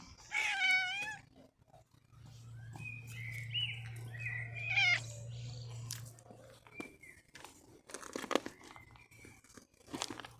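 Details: Cat returning in summer, meowing: a loud wavering meow at the start, then softer chirping meows around the middle, followed by crunching and chewing sounds over a low hum.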